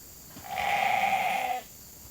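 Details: Hungry sheep flock calling as grain is brought in for the evening feed at Nature Lane Fiber; a single sustained, steady bleat lasting about one second, with faint shuffling beforehand.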